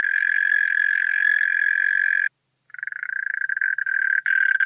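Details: European mole cricket song from Pabing, Austria, 31 May 2021: a continuous purring trill runs for over two seconds, pauses very briefly, then restarts and continues with slight wavering in loudness.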